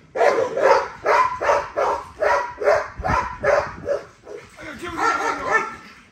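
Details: A female American Bully, XL ghost tri, named Nyla, exercising: a steady string of about nine evenly spaced bursts, roughly two per second, trailing into a rougher, mixed tail of sound.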